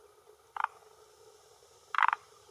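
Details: A male forest green tree frog (Rhacophorus arboreus) on a hillside pond shore in Japan, early June 2021 around 18:10, croaks twice with his vocal sac to claim territory and attract females: brief, pulsed rattles about 1.5 seconds apart over a faint hum.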